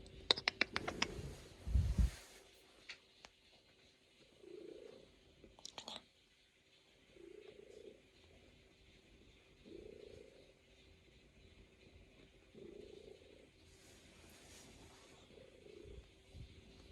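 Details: Luna, a female Norwegian Forest Cat, kneads on her owner's lap indoors and purrs in soft pulsing bursts, each lasting about a second and coming every two to three seconds, with a few sharp rustles and clicks at the start.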